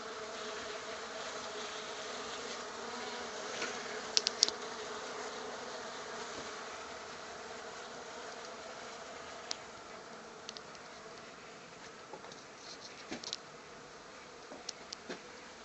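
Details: Western honey bees (Apis mellifera) that have unexpectedly moved into a workshop hum steadily in a dense droning buzz, with occasional sharp clicks and knocks.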